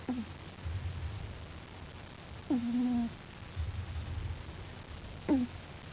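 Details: Five-week-old puppy snoring while asleep on his back: soft low breathy rumbles alternate with short squeaky whistles that drop in pitch, recurring roughly every two and a half seconds indoors.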